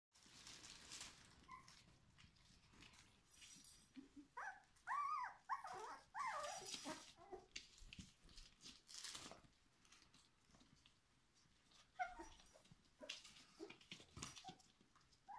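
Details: Four-week-old Schapendoes puppies indoors, a cluster of high, wavering whines and whimpers in the middle of the recording, with rustling and shuffling around them.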